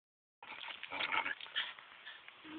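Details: Dog playing tug of war with a Kong toy, giving a rough, noisy, continuous growl with pulsing surges of loudness lasting about two seconds.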